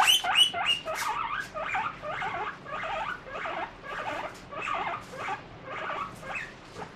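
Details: Pet guinea pig eating a strawberry, bothered by its prickly seeds yet still keen to eat; quick rhythmic crunchy chewing bursts, about three per second, steady throughout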